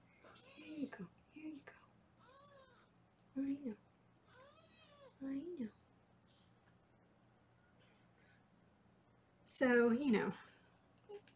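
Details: Foster kittens in Los Angeles meow during weigh-in time, giving short arched cries at irregular intervals. Near the end comes one loud, long, rising-then-falling meow, and bits of human talk are heard at the start.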